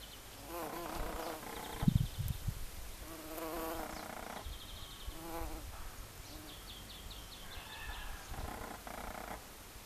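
A common carder bee buzzes in a low, humming drone that swells and fades in bursts of a second or two. Faint, high, thin chirps sound now and then in the background.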